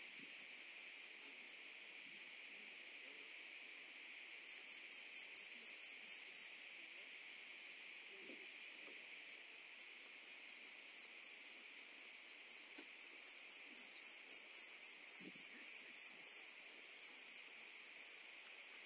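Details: Rock-dwelling grasshopper recorded on Cres, Croatia, on 13 July 2022: bursts of rapid, evenly spaced high-pitched pulses, about four per second, in phrases of several seconds separated by pauses, over a steady high background hiss.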